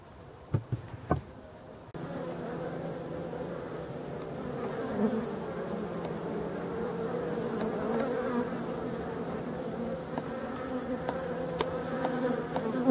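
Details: European dark bees in a Voirnot hive, part of abandoned hives in a forest, being prepared for winter on 30 October 2021; a few sharp knocks, then a steady, dense low hum from the colony swells and holds, with occasional handling clicks.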